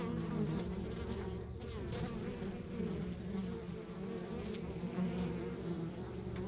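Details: Honey bees at a rural backyard beehive, many workers humming together in a steady, dense drone with low pitch, small flickers of individual wingbeats rising and fading through it, no other sounds standing out.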